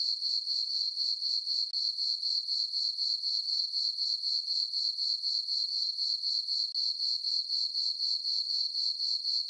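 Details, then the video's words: Crickets on a farm meadow under a full moon on a summer night give a continuous high-pitched, pulsing chirp at about four pulses a second, broken by two tiny gaps, with no other sound. "Cricket chirping sounds for sleeping"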